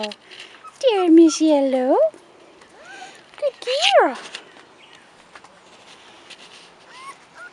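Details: Rottweiler puppies, 4.5 weeks old, outside for the first time, giving a few high, rising-and-falling whines and yelps in two bursts in the first half, followed by quiet with faint background noise.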